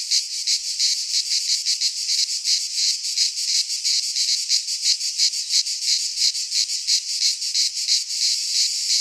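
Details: Cicada calling in a dense, continuous high-pitched buzz, shimmering with rapid pulsing throughout, with no other sounds.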